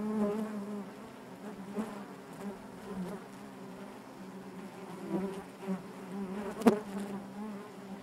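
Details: Honey bees buzzing inside their hive, a dense continuous drone with a steady low hum and layered harmonics, swelling and fading gently, with a brief sharp click near the end.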